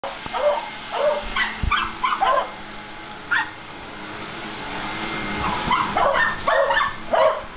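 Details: Two pet dogs playing, Cody the beagle and Buddy the miniature pinscher: short yelping barks and yips in uneven bursts, several in quick succession, then a lone bark, then another cluster near the end, with faint background hum.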